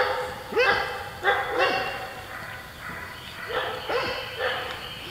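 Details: Golden Retriever puppies playing with a shaved Great Pyrenees; a series of short yappy barks and yelps with rising onsets, roughly one to two per second, over steady background hiss.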